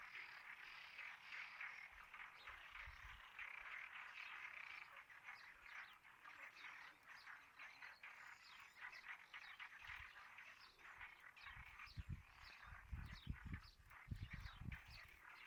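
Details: Many frogs croaking together in a continuous chorus, the layered calls pulsing steadily while low rumbling knocks break in during the second half.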